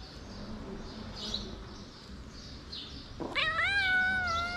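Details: Homeless feral cat in a stray group, where a big-nosed cat slapped a kitten to keep him away, lets out one loud, rising then level meow after a few seconds of quiet rustling and low hum.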